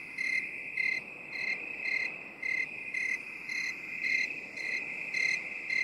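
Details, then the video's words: Close, clear cricket chirps in binaural 8D audio: bright buzzy pulses repeated about twice a second, each with ringing overtones, layered over an unbroken high trill. "8D CRICKET SOUND"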